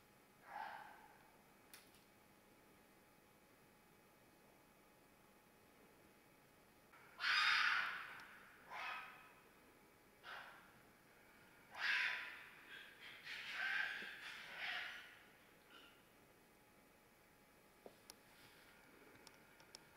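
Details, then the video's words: Mating-season fox giving a series of rasping, breathy screams. A short cry comes first, then louder bursts at uneven gaps, some bunched into a rapid cluster near the end. Quiet hiss and a few faint clicks fill the pauses. "Fox Screams"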